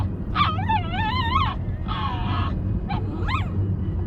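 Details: Puppy with an unusual voice giving drawn-out, wavering, nasal cries that dip and rise in pitch, followed by a shorter flat cry, a brief yip and a rising squeal, over a steady low rumble.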